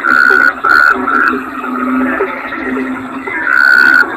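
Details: Bangkong toad calling: short steady tonal notes, three in the first second and a longer one near the end, over a continuous low droning chorus.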